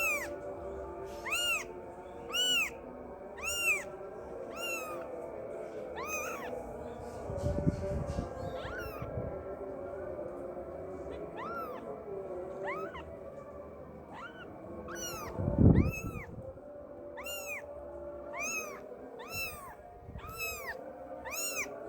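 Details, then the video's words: A kitten calls its mother with long series of high, repeated meows, roughly one each second, in two bursts. Low thumps are heard in between, over a steady background hum. "EFEK SUARA ANAK KUCING MENGEONG MEMANGGIL INDUKNYA"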